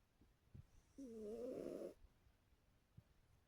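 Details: One drawn-out, nasal, rattling snore lasting about a second from a sleeping female orange cat, with faint soft breaths before and after it.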